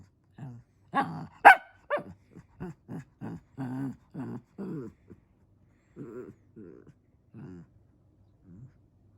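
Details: Fluffy pet Shih Tzu barking because it wants to play: a run of short, yappy barks and whiny yelps, loud and close at first, then softer and more spaced out, roughly every half second, in a quiet room.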